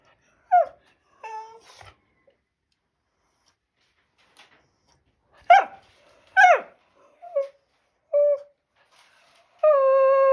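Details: Shiba Inu dog talking to its owner indoors: a string of short whines and yips, some sliding downward, in irregular bursts with gaps. It ends on a steady, sustained whine-howl, with no other sounds.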